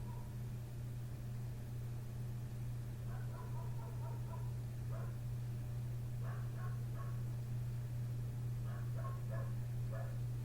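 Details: Next-door neighbour's dog barking right outside a window in the night, having started at 1:30 am and kept going past 3 am; faint clustered barks in short bursts of three to five, over a steady low electrical hum.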